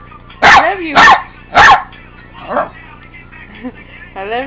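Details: Buddy the dog barking at an annoying ringtone: three rapid, forceful barks in quick succession, followed by a softer bark and rising electronic ringtone notes.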